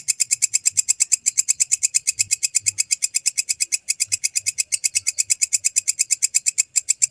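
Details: Walang kecek grasshopper sound recorded as tutor material for training lovebirds: loud, sharp, high chirps pulsing steadily about three times a second for the whole stretch, with only a faint low murmur beneath.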